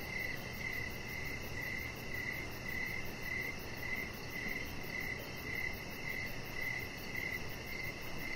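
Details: Evening crickets sing near a deck lit with decoration lights. Quick, high chirps pulse almost twice a second, with a soft hum beneath.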